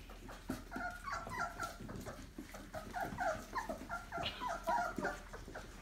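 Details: A litter of 28-day-old Labrador Retriever puppies from a breeding kennel, jostling together indoors; many overlapping high whines and squeaks, short and rapid, tumbling over one another in a busy chorus.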